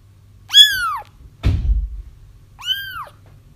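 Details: Crying kittens, played to coax a feral mom cat into a trap: a high arched mew, a dull thump, then a second shorter mew, with a low hum in the background.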